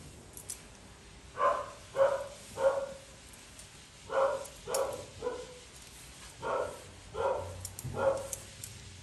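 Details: Poodle mix dog being groomed, letting out about nine sharp barks, mostly in loose groups of two or three spaced under a second apart, over a quiet room background with faint clicking.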